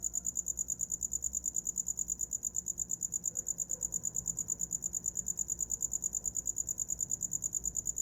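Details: Cricket chirping at night, offered as a sleep sound: a high, steady pulsed trill repeating roughly three times a second without a break, with faint low background rumble beneath.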